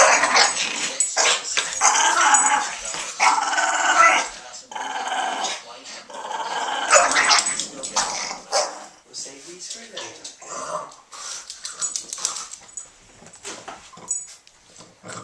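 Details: Pair of Boston Terriers tugging and wrestling noisily, one a female on her third birthday; dense stretches of rapid rasping growls rise and fade over human voices talking alongside.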